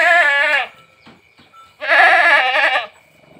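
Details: Boer goats crossed with Sirohi goats on a village farm give two loud, wavering bleats, each about a second long with a quivering vibrato, separated by a short quiet gap.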